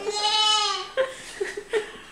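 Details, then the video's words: Little disabled goat calling out: one long, quavering harmonic bleat lasting nearly a second, then three short clipped bleats in quick succession. "Little disabled goat Mallu talks"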